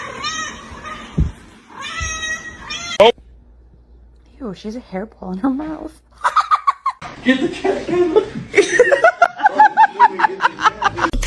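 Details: Domestic cat meowing: two drawn-out, harmonic meows in the opening seconds, then a string of short rising cries later on, mixed with people talking and laughing nearby.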